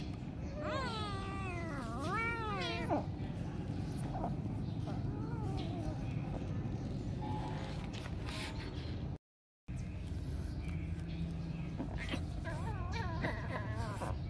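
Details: Domestic cat meowing in a short comedy compilation: two loud wavering meows early, rising and falling in pitch, then softer mewing later over a steady low background hum with brief speech-like sounds.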